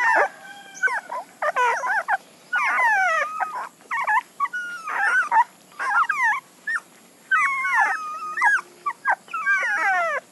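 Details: Several puppies whimpering and whining together, high tonal cries that rise and fall, often bending sharply downward, packed in overlapping bursts with brief gaps of quiet throughout.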